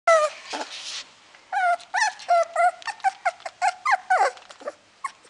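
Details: Puppy at a pet shop giving high, whining whimpers and short yips in a quick run of about a dozen rising-and-falling cries, bunched closely together over five seconds, with no other sounds around.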